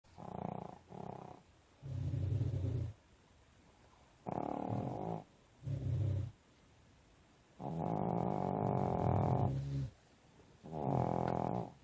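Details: Pekingese sleeping trapped under covers, snoring in rough, low, droning bursts of one to two seconds, some short and paired, others long and drawn out, with quiet pauses between.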